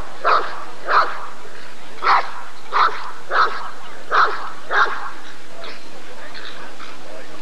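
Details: Rottweiler barking at the ADRK breed survey (Körung) of 1994: seven gruff, evenly punctuated barks roughly every half to one second during the first five seconds, then fainter distant barking over a constant low hum.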